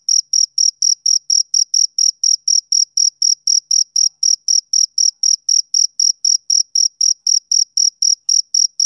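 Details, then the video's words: Rhythmic chirping of a male cricket: bright, high, uniform pulses around four per second, continuing evenly through the whole stretch with no other sounds. "Cricket Chirping Sound Effect"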